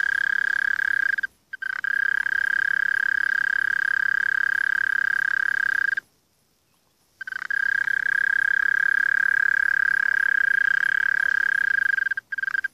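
A mole cricket gives a steady, low churring trill that holds one pitch and breaks off briefly twice.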